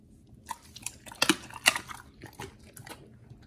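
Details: Raw meat being chewed by dogs Oli and nomy indoors, a short burst of crisp wet crunches, about two or three per second, loudest in the middle.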